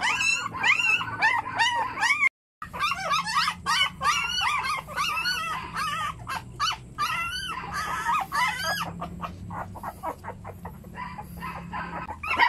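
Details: Puppies yelp and whimper in a steady stream of quick, arched cries, broken by a brief moment of silence, then resuming with sharper clicks and squeals that thin out toward the end.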